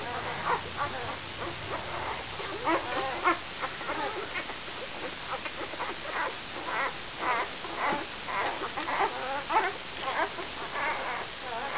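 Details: Five-day-old brown Labrador Retriever pups of the E litter vom Tannbachtal, dam Benja, give a busy chorus of short squeaky whines and whimpers, irregular, nearly two per second, several puppies calling at once.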